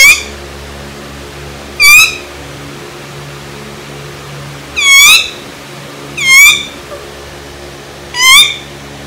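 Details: Pet dog Laalaa squeaking in reaction to being teased indoors: five loud, high, bending squeals, each under half a second, spaced irregularly a second or more apart, over a steady low hum.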